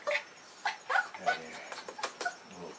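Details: Male Blenheim Cavalier King Charles Spaniel, said to be tired, in October, gives several short, high whimpering yelps spaced through the moment, mixed with close human speech and soft indoor background.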